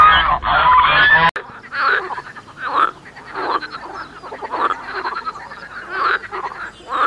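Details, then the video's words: Frog croaking in a rough, pulsing series of rasping bursts roughly every half second to one second, after a brief loud unrelated burst of noise at the start that ends abruptly. "The Animal Song: Cow, Geese, Frog, Rooster, Chickens, Pigeons."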